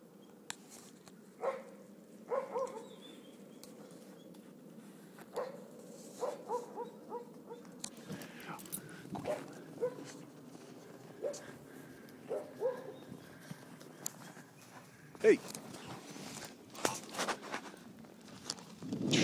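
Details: Three grey wolves at Cedar Cove romping in snowy winter weather make brief, tonal whimpers and yips, spaced irregularly, with muffled thuds and scuffling between calls.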